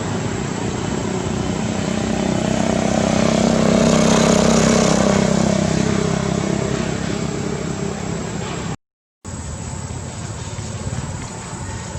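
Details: Loud vehicle engine roar swelling and fading, broken by a brief gap of silence, with no animal voice present.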